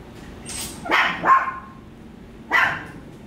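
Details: Small puppy Bokhee, eating a turkey chew at a dog hotel and kindergarten in Gwangmyeong, lets out a quick pair of high yapping barks, then a single yap a second later. The room is otherwise quiet.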